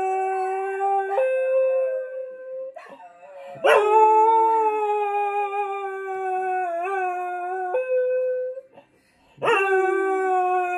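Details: Male Scottish Terrier, four years old, indoors in south London, howling for his birthday. Sustained, tonal howls step between pitches, slide and waver, and are broken by short gaps, including a near-silent pause before the last rising howl.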